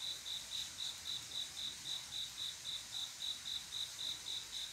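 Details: Night-time cricket love song from a male seeking a female, each chirp a short high trill repeated a little under four times per second, clear and rhythmic above a hissing backdrop.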